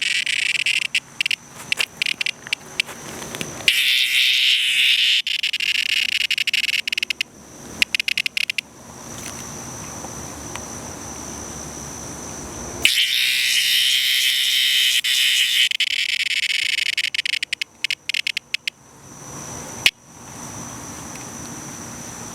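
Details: Distressed cicada producing intense high buzzing bursts, long continuous rasps alternating with choppy, stuttering pulses and quiet gaps, with a thin steady high tone running underneath throughout.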